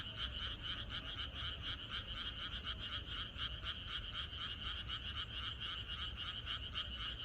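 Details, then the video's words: Frog chorus in the countryside on the night before rain: dense, rapid croaking pulses, roughly four per second, in a steady mid-high band, with many frogs overlapping and a low rumble underneath. "개구리들의 합창"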